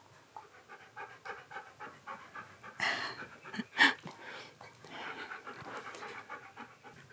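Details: Pet Siberian Husky indoors while being groomed for shedding fluff, panting in quick rhythmic breaths, with a couple of louder brushing strokes near the middle and soft handling noises throughout.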